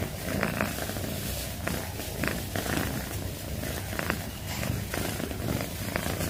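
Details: Pet cat purring, a dense low vibrating rumble with quick regular pulses, swelling and easing slightly while brief soft clicks sound over it.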